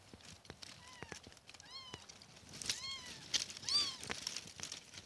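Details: Kittens giving a rapid run of high, thin mews, arched cries following each other several times in a few seconds, some overlapping, over soft outdoor rustling and clicks.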